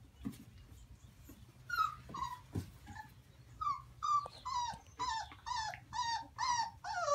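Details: Maremma Sheepdog puppies whimpering and whining; short, high, downward-sliding whines come slowly at first, then quickly in a steady run about twice a second, over a low background hum.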